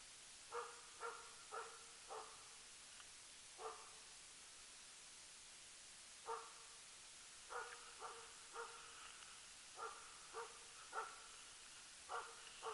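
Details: Lillsjöhögens Rapp, a Swedish Elkhound hunting elk off-leash in 2012, barks from afar in clustered bursts of two to four, separated by gaps of a second or more, with continuous hissing in the background.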